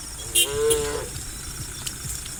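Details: One short, level moo from a tame cow among dozens running down a green countryside hill in the morning, preceded by a brief high click, with a faint insect whine in the background.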